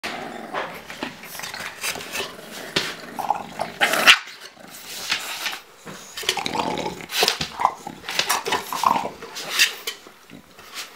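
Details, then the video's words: Bulldog puppy named Cally play-fighting with her mother Autumn during a photo shoot; rough growls and short yaps come in irregular bursts, with scuffling and a few sharp peaks throughout. "Bulldog Puppy Fights Mom and WINS!!"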